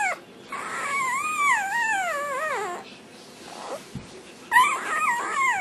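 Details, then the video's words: . Black tri Australian Shepherd puppy born in November 2008 singing while eating dinner: high wavering whines gliding up and down with rich harmonics, a long descending howl, a pause, then another rising wavering whine. "puppy sings for dinner"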